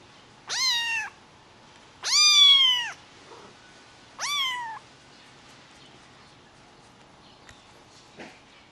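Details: White Highland Lynx hybrid kitten meowing three times in quick succession, the middle call longest and loudest, each a clear nasal cry that rises then slides down, followed by near silence with faint taps.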